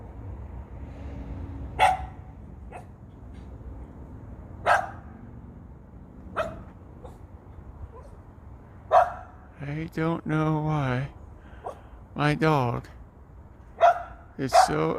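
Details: Female dog obsessed with critters barks at a big bird up a tree: scattered single barks every few seconds, while a man talks over the later barks near the end.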